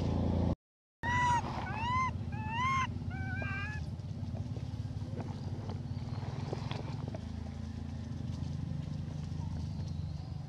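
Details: Hybrid monkey Elpida calls for food with a quick run of rising-falling harmonic coos packed into the first few seconds, then a low droning background with faint clatter takes over.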